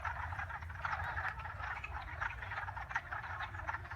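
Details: Chorus of frogs giving rapid, overlapping rattling croaks in a continuous mass, with a low constant hum below.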